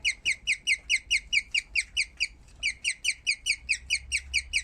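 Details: Guinea pig after giving birth producing bird-like chirps: evenly spaced, high, sharp squeaks roughly twice a second, one brief pause midway, then the series resumes; quiet room.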